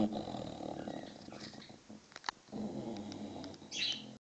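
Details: A six-month-old English Bulldog puppy snoring in its sleep, unbothered by noisy birds. Two long, raspy, rumbling breaths with a quiet pause between them, and bright bird chirps near the end.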